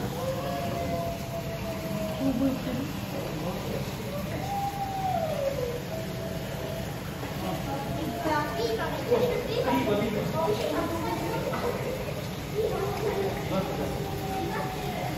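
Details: A male Arctic wolf (Canis lupus arctos) at a zoo on 13 August 2023 gives long, smooth howls that rise and fall, with people talking in the background.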